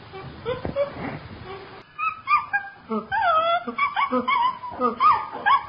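Chimpanzee giving a run of wavering, whimpering squeals and soft hoots, rising and falling in pitch.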